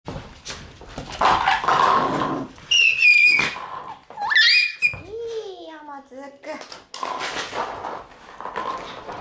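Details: Shiba Inu dogs indoors after dinner on April 27: high, thin yelping whines with bright overtones, then a long whine that slides downward, with people talking throughout and some bumping and rustling.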